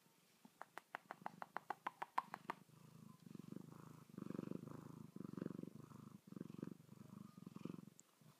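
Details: Two fuzzy pet cats, Manchitas and Sacha, waking up from sleep: a run of sharp clicks at first, then steady low rumbling purring in pulsing bursts with short breaks, indoors.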